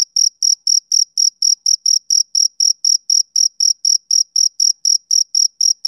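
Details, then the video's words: Rhythmic high chirps from a male cricket on a summer evening, evenly spaced short pulses at roughly four per second, pure and uncluttered with nothing else audible. "Cricket Chirping Sound Effect"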